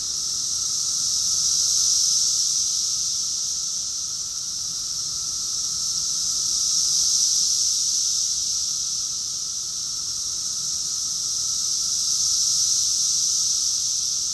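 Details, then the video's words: June 2021 recording of a cicada chorus in Rockville, Maryland, USA: an unbroken shrill buzzing wash that rises and falls gently about every five seconds, the insects' voices merging into one sustained sound. "Cicadas song || Cicada's chorus song"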